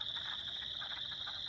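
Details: In spring at a flooded pond at Tamarack Nature Center, Minnesota, wood frogs chorus with short, hoarse duck-like 'rack, rack' clucks several times a second over a constant high trilling of chorus frogs, like ping-pong balls or a fine-tooth comb.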